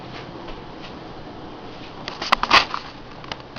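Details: Quiet indoor hiss with a short burst of rustling and clicking crackles midway; no animal voice is heard.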